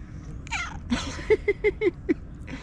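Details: Cat making its head-tilt meow: a quick run of about six short, chirpy meows, falling slightly in pitch and coming close together, with a person's voice saying "hey" just before.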